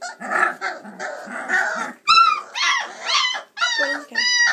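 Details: Chocolate Labrador Retriever puppies, 26 days old, running about and climbing out of the whelping box to play, whine and yip in high, squeaky bursts, with low grumbling noises at first.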